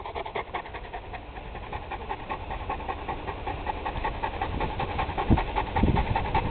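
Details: Cane Corso in Poland panting rapidly and rhythmically, about two and a half breaths per second, between spoken obedience commands.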